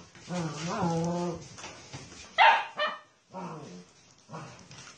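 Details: Basset Hound voicing drawn-out, harmonic baying howls. A long wavering call opens, then a sharp louder yelp and two shorter falling moans follow, separated by brief pauses.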